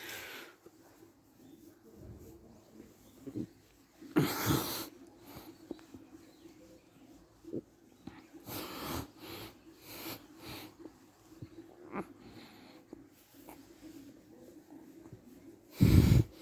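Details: After being petted while sitting, the friendly Shiba Inu Chichi of Kanahama, Aomori City, Japan, gives a sharp, breathy sneeze, followed by repeated snuffling huffs and a final loud, low, wheezy burst.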